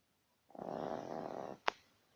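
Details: Badger snoring: a single raspy, breathy snore of about one second with a rough, noisy texture, followed by a sharp click.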